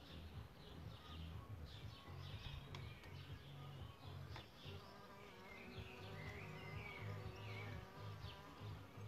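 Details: Solitary bees nesting in a bug hotel: a low, droning buzz with steady layered harmonics rises and fades as insects move about, while birds chirp and whistle faintly overhead.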